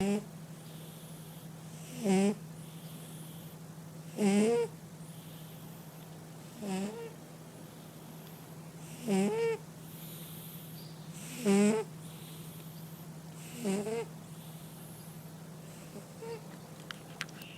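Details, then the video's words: A domestic cat snoring indoors, with short buzzy snorts repeated roughly every two seconds, each bending upward slightly, over a steady low hum. "Котэ храпит"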